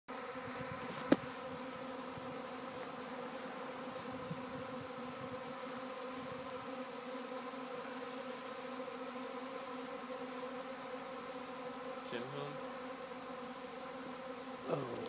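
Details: Honey bee swarm at a house in Arcata, the bees traveling and landing near a fig tree; a steady, dense, low buzzing drone with layered hum bands, a brief click near the start and faint voices toward the end.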